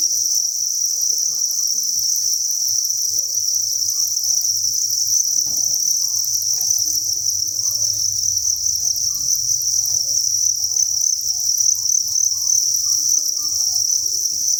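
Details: Massed crickets at a cricket farm breeding facility, thousands of insects calling at once: an unbroken shrill, high buzzing chorus that holds steady in loudness, with soft scattered low rustles underneath.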